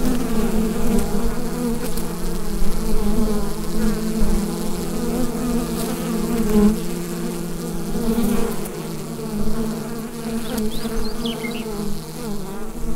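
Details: Hive of bees droning steadily, recorded via Rode NT-USB microphone, the low buzz pulsing gently in loudness with several stacked overtones and occasional soft clicks.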